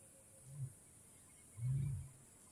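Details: Wild lion in Kgalagadi Transfrontier Park, Africa: two deep, low moans, a short one followed after a pause by a longer, louder one, over a quiet background.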